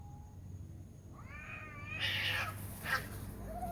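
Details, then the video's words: Cat fight at night: one drawn-out, quavering yowl rises and wobbles, then breaks into two sharp, explosive hissing spits, against a low constant hum. "Alien cats spotted making weird noise and fighting"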